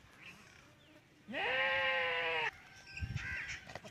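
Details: Goat bleat during mating of a Teddy goat male and a female goat in a Punjab, Pakistan village: one loud, steady, nasal bleat lasting about a second, preceded by low background noise and followed by people talking and laughing.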